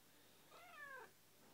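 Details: Pet cat hiding tucked up in a bed, making a guilty-sounding chirp as its owner prepares to leave for work: one short, quiet, harmonic chirp that slides gently downward, indoors, between a person's words.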